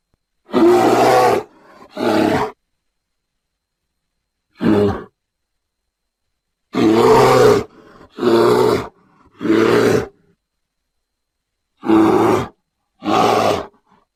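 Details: Grizzly bear producing nine gruff roaring bursts spread over fourteen seconds, mostly in close pairs or clusters with longer silent pauses between groups.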